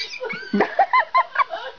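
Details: Chihuahua throwing a fit, letting out a quick run of four short, high, wavering squeals after a lower yelp, with people talking in the background.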